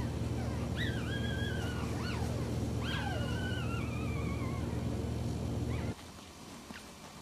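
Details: Week-old puppies, sleeping and nursing, make drawn-out whimpers that jump up and then slide slowly downward, two or three in a row, over a constant low electrical-sounding hum that cuts off near the end.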